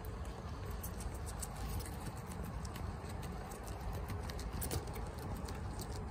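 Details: Female guinea pig Chia chomping bok choy indoors at home, eating fast; sharp crunching clicks repeat steadily throughout, with a continuous low hum beneath.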